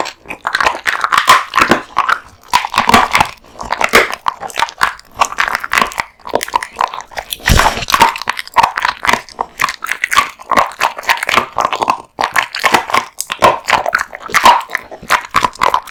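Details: A male American Bully named Kotetsu devours a big raw meat and bone lunch, steady dense crunching and gnawing with rapid sharp cracks, slurping bites running almost continuously, indoors.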